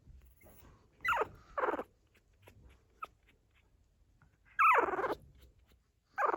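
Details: Pug puppies, 14 days old, just starting to walk, make small noises in a small room while their mother guards them. Four loud, drawn-out squealing whimpers come at uneven gaps, with quiet rustling between them.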